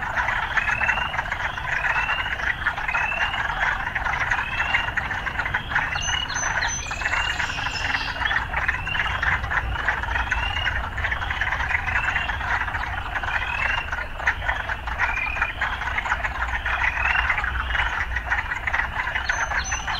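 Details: Frogs in a city setting keep up a dense croaking chorus, while quick upward-sweeping notes repeat about once a second throughout.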